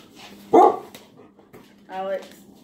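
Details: German Shepherd in a house during a described fight with another dog, one abrupt bark followed a second later by a drawn-out, tonal whining yelp, with people talking in the background.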